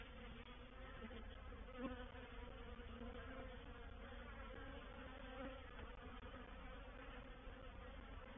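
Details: Reproductive swarm of honey bees moving into a swarm trap at Painted Peacock Manor, 04/07/21: an even, droning buzz of many bees, with a brief louder pass of one bee near two seconds.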